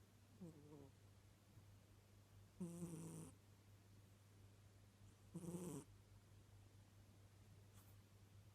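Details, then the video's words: Domestic cat asleep and snoring: two harsh, raspy breathy snores about three seconds apart, each roughly half a second long, over a quiet room with a steady low electrical hum and a faint soft sound near the start. "Кот храпит"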